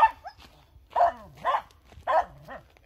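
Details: Finnish Spitz, a breed made to hunt game and bark on finding it, giving a run of sharp, mid-pitched barks about every half second, with a man speaking Swedish nearby.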